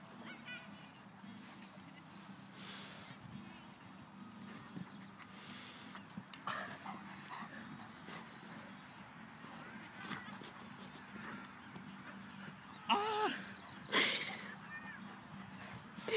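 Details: Golden Retriever playing with a person in a Brazilian jiu jitsu bout. A long low-hum stretch with faint scattered sounds, then two loud, harsh harmonic bursts about a second apart near the end.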